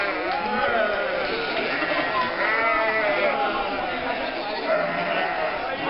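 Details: Flock of nearly 1,000 sheep, lambs and goats driven from winter to summer pasture through the historic lanes of Mörnsheim, Altmühltal Nature Park, on the third weekend of May 2012; overlapping wavering bleats, constant crowd chatter.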